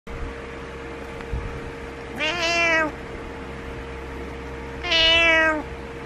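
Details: Butters, a pet cat, meowing in the morning to get its owner out of bed: two drawn-out, harmonic-rich meows about two seconds apart, the second louder, over a steady indoor hum.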